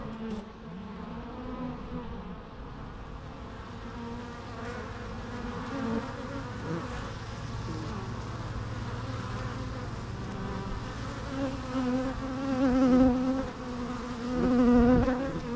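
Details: Bees buzzing steadily, a dense layered drone of many wingbeats with wavering tones that swell and fade, growing louder toward the end.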